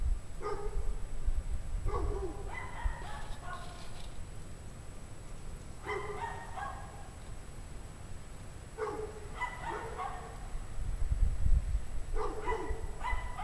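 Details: Several unhappy dogs in a pack bark outside at 5 PM on a freezing winter day, 17 degrees Fahrenheit; clusters of two or three sharp barks repeat irregularly, some overlapping, with low rumble and wind noise underneath.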